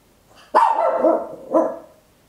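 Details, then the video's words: Small Papillon dog at home letting out a long, harsh, drawn-out bark that wavers in pitch, followed by a shorter second bark; close stereo recording on an Olympus LS-11 in a quiet room. "Tiny Dog Barking Very Loud, Papillon"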